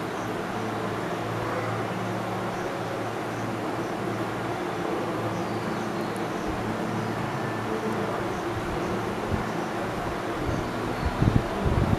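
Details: Steady low rumble of traffic or vehicle noise throughout, with no animal calls standing out.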